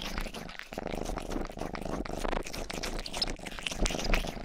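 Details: Pet cat named Rang-i, the youngest cat of the household, purring indoors while grooming, a low continuous rumble overlaid with wet licking clicks and crunchy close-microphone rustles.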